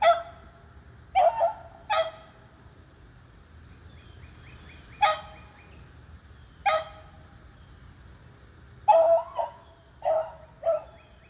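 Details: Three beagles, two aged eleven and one aged three, baying while treeing squirrels on June 3, 2020; short loud barks come singly and in close pairs at irregular gaps, with quiet outdoor background between them.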